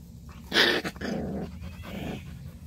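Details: Purebred black Jindo dog giving a short rough growling vocalization, a loud burst then two softer rasping stretches, indoors.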